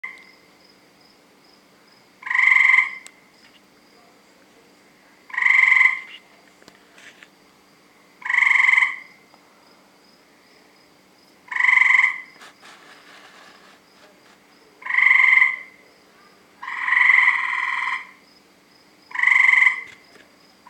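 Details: Tree frogs calling at night from around 7 PM, surrounding a house: loud harsh croaking bursts, each about half a second to a second long, repeated roughly every three seconds, with a faint steady hum beneath.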